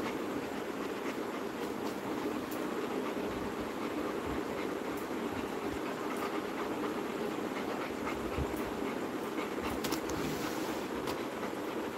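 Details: Continuous broadband hiss with scattered faint clicks, and no distinct animal voice.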